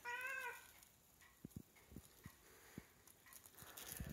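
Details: A Siamese cat that smells seafish gives a short, wavering, nasal meow, begging for the fish. She keeps meowing until she gets it.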